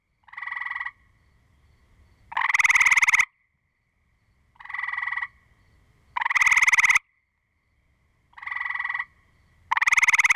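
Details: Gray treefrog giving loud, musical pulsed trills, short and longer ones alternating about every two seconds; the recording includes singing and an aggression call.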